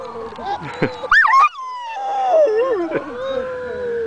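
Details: Pet dog Sanger howling at a siren beside Hudson: a sharp rising yelp, then a long smooth howl that dips and wavers before settling into a steady held tone, with faint talking underneath.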